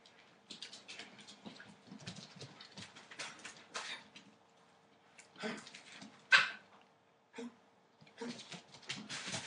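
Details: Entlebucher Mountain Dog puppies eight weeks old, from a litter born 28 December 2013: soft high whimpers and a few yips between rustling, scratchy bursts of movement, one sharp louder yelp midway, low constant hum throughout.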